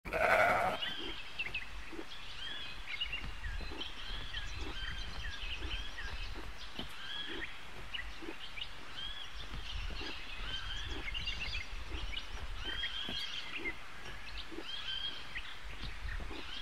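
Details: A mouflon resting and watching around gives one short, nasal bleat, followed by quiet outdoor ambience with faint chirps.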